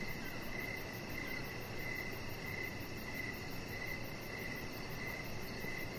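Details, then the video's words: Crickets calling in the evening near a deck, a chihuahua puppy lying close by under decoration lights; clear regular chirps roughly twice a second over a rapid high buzzing trill and low steady rumble. "Chihuahua Puppy Laying On Deck with Cricket Sounds"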